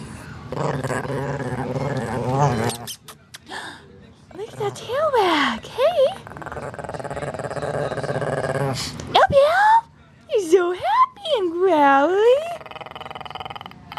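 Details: Female Shih Tzu growling as she is petted while wagging her tail; a rumbling growl fills the first few seconds, then stops, and a woman's rising and falling sing-song voice takes over.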